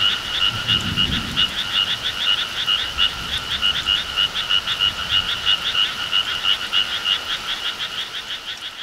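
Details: Frogs calling together in rural summer surroundings, a continuous rapid series of pulsed, ringing croaks, roughly three per second, steady and loud. Soft low background noise early on.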